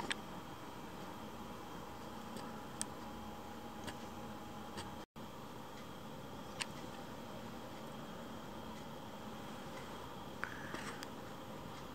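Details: Steady indoor background hum and hiss with a few faint ticks and a brief dropout, and no animal sound.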